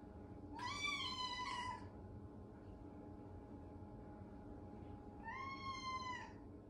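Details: Following its owner into the bath out of loneliness, a Ragamuffin cat lets out two meows, the first slightly rising then falling, the second softer after a pause of about three seconds, over a steady low hum.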